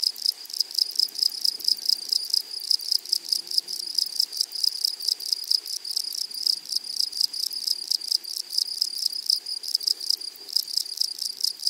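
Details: A louder, close grasshopper chorus in a flowery meadow: steady, rapid, metallic ticking that merges into one bright high buzz, barely pausing through the whole stretch.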